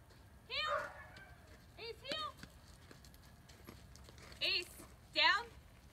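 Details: One-year-old German Shepherd Dog named Ace during off-leash obedience training; a few short yipping barks in separate bursts, some doubled, with quiet gaps and faint background hiss between them.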